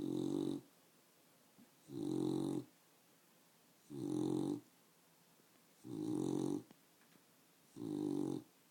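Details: Awake female house dog making loud snoring sounds: five even, grating snorts, each under a second, repeated roughly every two seconds in a steady rhythm inside a small room.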